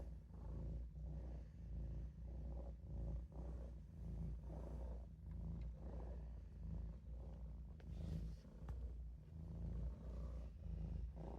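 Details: Maine Coon cat Olof, a kitten, napping in a sink, purring steadily: a deep, continuous rumble pulsing with slow breaths, a few faint clicks near the end.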